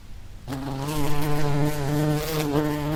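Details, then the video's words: Wild bee buzz starting abruptly after a short quiet lead-in, then a loud, steady low drone with rich harmonics that holds without a break. "Bee sound effect | Bee sounds|What sounds do bees make?"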